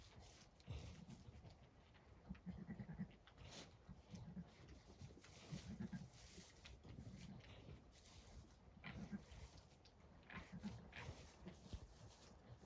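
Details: Low, soft rumbling calls from a Zwartbles ewe tending twin lambs just born at night on an Irish farm in County Kilkenny, in a series of brief nasal grunts roughly every second or two, with faint rustling and hiss.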